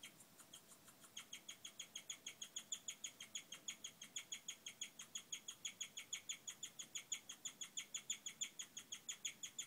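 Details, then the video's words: A female guinea pig chirps, high bird-like peeps repeated steadily about three times a second, apparently happy at the arrival of her babies; chirping is thought to signal contentment. "Guinea pig singing: chirping"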